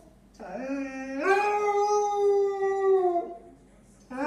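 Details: Female Basset Hound at play with a squeaky ball, giving one long sustained howl that rises sharply after a low opening note, holds level for about two seconds, then falls away; another howl begins at the end.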